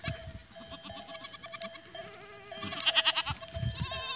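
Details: Goats recorded on 14 April 2023, giving two bursts of short, nasal, repeated bleats with bright stacked overtones, the second burst louder; steady bell-like tones run underneath.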